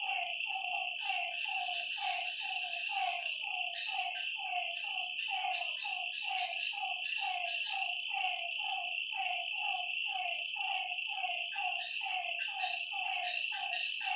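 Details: Frogs calling at night by a lakeside, a steady run of short, nasal, mid-pitched notes repeating about twice a second from several overlapping callers, over a constant high, shrill hum of night insects.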